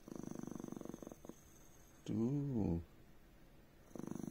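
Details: Chihuahua named Loui, angry and not wanting to be touched while being petted, growls: a low, rapidly pulsing rattle in a one-second burst, then a human voice speaking, then the pulsed growl returns at the end.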